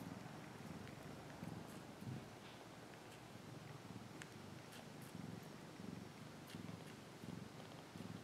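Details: Domestic cat purr, a continuous low rumble swelling in regular pulses roughly every 0.7 seconds as the cat breathes in and out, with light scattered clicks.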